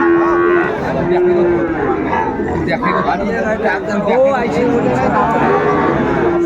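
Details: Sahiwal bull calves for sale at the Ambari market in Faridpur, 29 April 2024, give repeated level moos roughly once a second, then a rising bellow midway, against constant market chatter and light music.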